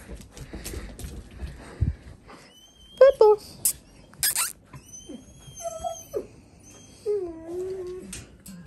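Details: Four-week-old Dalmatian puppies whimpering indoors: a short high squeak near three seconds, then drawn-out whines that slide downward, separated by soft thumps and rustling, over a faint steady high tone.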